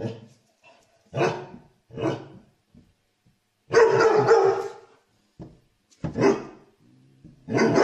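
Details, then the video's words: Happy dogs barking out loud for fun while playing; several hoarse barks spaced about a second apart, then a longer harsh, growly bark burst, with brief low grunts between calls in a quiet indoor setting. "Dogs barking out loud for fun happy dogs"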